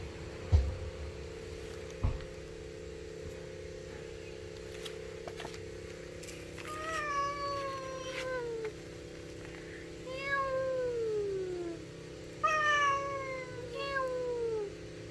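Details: Stray cat that visits daily to beg for food, uttering a series of drawn-out, descending meows from about seven seconds on, four long cries in total, over a constant low mechanical hum with faint human voices early.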